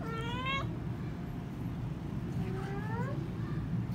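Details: Kittens: a short, high meow that climbs then breaks off, followed after a pause by a second longer meow that rises and falls, over a steady low hum.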